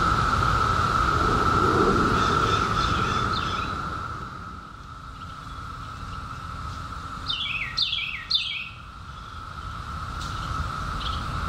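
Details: Periodical cicadas emerged in 2021 after a 17-year hiding, in summer: a steady, unbroken droning chorus holds one even pitch throughout, loudest in the first seconds, with a few quick descending bird chirps appearing near the end.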